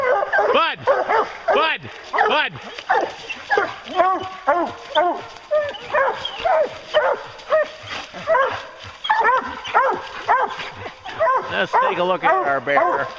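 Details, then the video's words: Hounds bay on a bear hunt in repeated ringing bawls, about two per second, each note arching up and down in pitch. A man speaks over the dogs at times. "Bear Hunting with Hounds"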